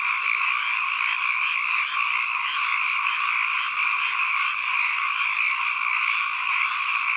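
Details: Chorus of many frogs in an ambient recording: constant dense trilling wall of sound at mid and high pitch, slight swells in loudness now and then, no other animals or noise.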